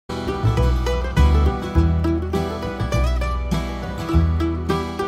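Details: Plucked-string country-style music with a bass line plays, with no animal voice heard.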